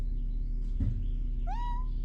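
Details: Shelter cat giving a single short meow that rises and then levels off, over a steady low hum in a room.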